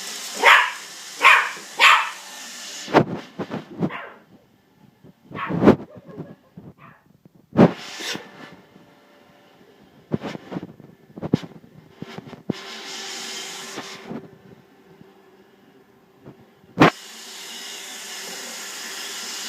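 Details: Jack Russell Terrier guarding a Roomba robot vacuum, giving three sharp barks in quick succession at the start, then scattered yips and thuds amid a steady mechanical hum.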